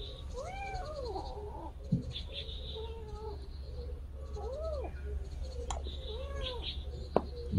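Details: Kitten that lost its mother, kept indoors: a series of about five thin, arching meows rising and falling, spaced a second or two apart, over a steady low hum and occasional clicks.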